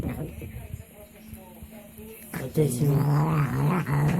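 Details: A cat making odd low, throaty sounds while eating, starting halfway through as a humming, growl-like murmur with wavering pitch, after a quieter first half.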